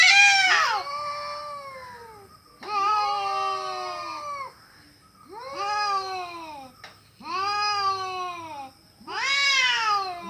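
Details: Fighting cats letting out harsh drawn-out yowls in five separate bursts, each a bright wavering wail that bends downward, with short quiet gaps between.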